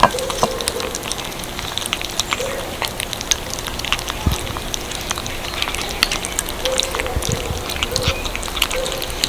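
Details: Several little kittens eating cat food: dense, rapid crunching and clicking chews run steadily throughout, with soft low tones drifting in now and then under the chewing.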